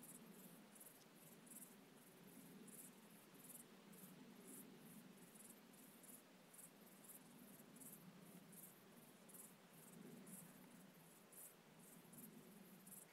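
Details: UK crickets at night give rapid, closely spaced high chirps, fairly uneven in spacing, continuing throughout over a constant low rumbling hum.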